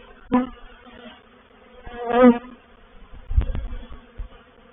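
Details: Honey bees of a reproductive swarm settling into a swarm trap at Painted Peacock Manor, 04/07/21, give a continuous harmonic drone that swells into a loud buzzing burst midway, with brief crackles and low knocks around it.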